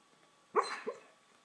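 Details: Dreaming pet dog giving a single brief muffled yip with a soft second note, short and quiet, in a calm room.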